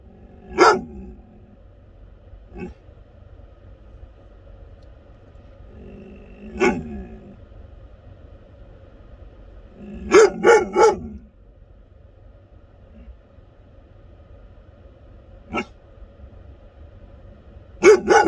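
An American Akita gives loud, deep single barks, with a quick cluster of three midway.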